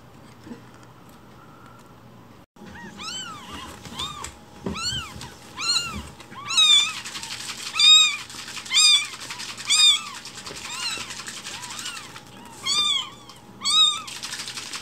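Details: Week-old rescued kittens Cookie and Nan start calling after a quiet stretch, then mew rapidly, about once a second, high and arched, with loud rustling, scratchy handling noise in the middle.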